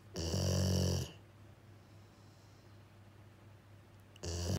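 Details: Jiji, a male rescue Labrador–Schnauzer mix dog, snoring loudly indoors while his sister Kuu comes over worried to check on him; two deep rasping snore bursts, the first about a second long, the second beginning near the end, quiet room between.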